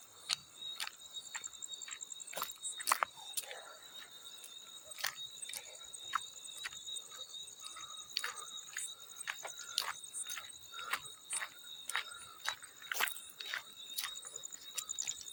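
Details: A field cricket trills steadily at a high pitch while many crisp water splashes land repeatedly, sometimes several in quick succession.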